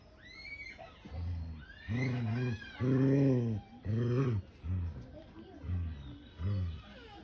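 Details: A cat showing anger during a fight between two animals repeats low, moaning yowls about once a second. The middle yowls are the longest and loudest. Faint voices and higher squeals come before them.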